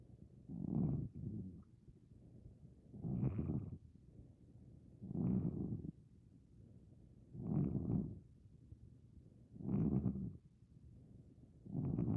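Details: A sleeping Maine Coon cat over 15 years old snores in low, rasping breaths while dreaming, one breath every two seconds or so.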